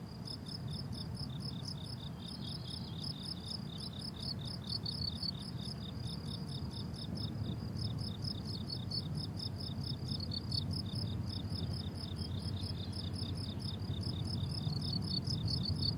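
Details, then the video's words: Summer meadow crickets in bloom, a steady chorus of high, pulsed chirps repeating about four times a second, several callers overlapping, with a constant low background hum beneath. "Relaxing Cricket Sounds on a Summer Meadow"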